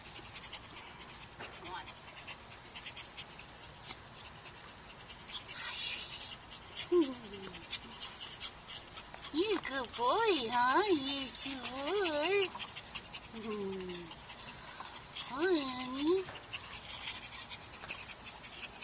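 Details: Sabled fawn Chihuahua puppy with white markings, named Texas: a run of high, wavering whimpers and whines with bending rise-and-fall contours, bunched in the middle and repeated again near the end, over steady hiss and faint talking.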